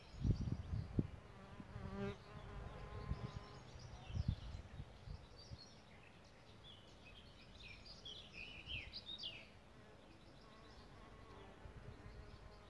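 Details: Solitary bees nesting in a bug hotel: a low, humming buzz with stacked overtones rises and fades in the first few seconds. Bright chirping birdsong flickers high above it, with soft wind rumble throughout.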